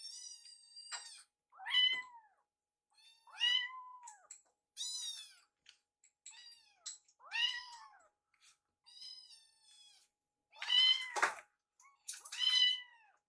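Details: Foster baby cats Piyo and Yuki vocalising during feeding, Yuki curious about Piyo's meal; around ten arched meows spaced every second or two, the last few louder and more urgent.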